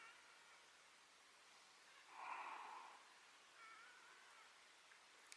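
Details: Whale breathing out in the Strait of Magellan near a campsite, the first seen there; a single soft breathy whoosh lasting about half a second, followed by a fainter second exhalation over quiet background hiss.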